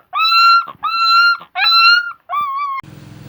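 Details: Puppies offered for sale in India, late November 2020: four drawn-out, steady whining cries at a level pitch with strong overtones, each lasting about half a second with short gaps, ending in a brief burst of noise.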